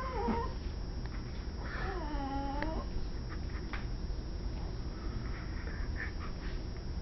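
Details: Dog giving a strange drawn-out call indoors: one clear harmonic wail that bends up then down around the two-second mark, a brief squeak at the start, then quieter muffled noises over a steady low hum.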